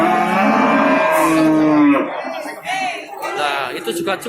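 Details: A steady, sustained moo lasting about two seconds from cattle at the Babat cattle market in Lamongan, East Java, 29 September 2020, followed by human voices and market chatter.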